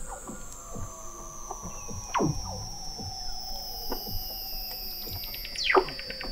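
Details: Weddell seal vocalizations recorded in November 2017 by the McMurdo Oceanographic Observatory, 21 m under sea ice in McMurdo Sound, Antarctica; long falling whistles descend slowly, while sharp downward chirps drop steeply, repeated through the clip over a constant high tone.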